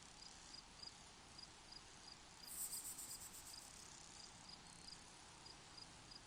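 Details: Cricket calling in a hot desert, faint high chirps repeated at a steady pace of about three per second over a soft hiss, with a brief louder pulsed high trill in the middle.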